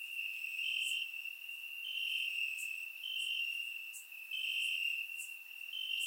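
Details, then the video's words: Warm summer night in Bulgaria with crickets chirping in the grass, recorded in surround sound: a persistent piercing trill punctuated by louder pulses about every second and sparse higher chirps from other insects. "Cricket Sounds - Crickets Chirping at Night"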